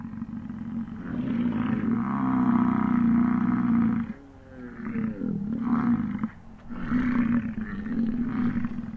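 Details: Wild American bison during the rut on a prime morning in the Grand Teton, Jackson Hole and Yellowstone area in 2022, among chasing, fighting and mating; a long, deep, throaty roar of about three seconds, then after a brief pause two shorter rumbling roars.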